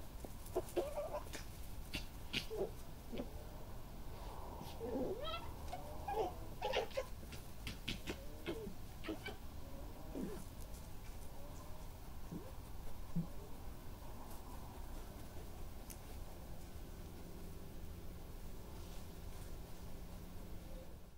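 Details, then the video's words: Very vocal fox cubs chatter in quick, squeaky whines and chirps over a low background rumble, recorded on 10 July 2018, usually at night, in a small yard and paddock in Somerset, England. "Fox cub chatter - with sounds"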